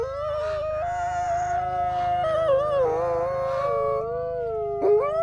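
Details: Two sibling gray wolves, brother and sister, captive-born Canadian/Rocky Mountain wolves at the Wolf Conservation Center, South Salem, New York, in a howl duet: steady, smooth tones held at separate pitches, one stepping downward, ending with a sharp upward swoop.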